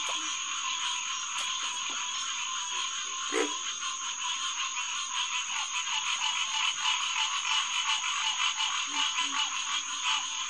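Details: Night chorus of Hyla cinerea, green tree frogs, at a refuge headquarters pond beside a boardwalk on June 2, 2021, 9 to 10 pm; many callers overlap in a dense, pulsing nasal din, with a few sharp clicks and low croaks underneath.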